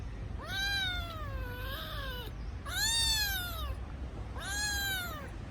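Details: Crying kitten calling for its absent mother, three long drawn-out meows with rich harmonics, the first wavering and nearly two seconds long, the others arching and fading, against a low steady hum.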